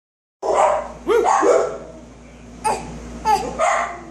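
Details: A dog barks indoors: a loud first bark, a quick pair of barks about a second later, then three more sharp barks spaced under a second apart, each ringing briefly in the room.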